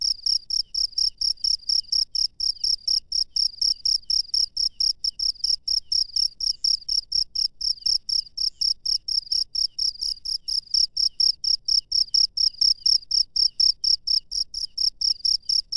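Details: Night-time chirping of a wild cricket: a continuous stream of sharp, shrill pulses repeating about four times per second, even in pitch and loudness throughout, with faint low rumble beneath.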